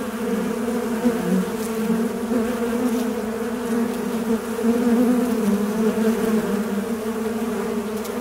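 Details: Continuous fly buzzing: a deep, grainy hum whose pitch drifts gently up and down and briefly swells louder near the middle, with faint clicks in the background.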